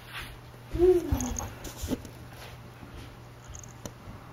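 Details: Akari, a pet cat, indoors during her first two months in a new home: a single short arched mew that rises then slides down into a fading tail, with quiet room noise around it.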